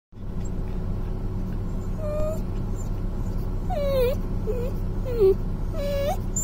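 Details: Ivory, a Samoyed puppy left in a car after her mother stepped out, cries so that she returns: thin whining whimpers, some rising then falling, coming every second or so over a steady low engine-like hum.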